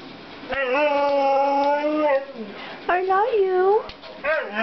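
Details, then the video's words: Male Siberian Husky asking to be let outside, indoors: a sustained, even howl of about one and a half seconds that sags at the end, followed by two shorter bending, whiny calls, with some human voice. "Siberian Husky talking"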